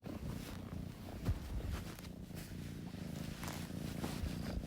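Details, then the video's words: Kitten purring: a steady low rumble with a grainy, pulsing texture, slightly uneven, with a brief soft knock partway through. "Kitten Purring Sound Effect"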